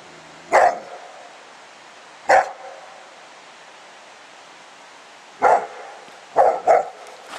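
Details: Spike, a pet dog, plays outside with his 10 lb weight, giving loud single barks spaced a couple of seconds apart, ending with a quick double bark.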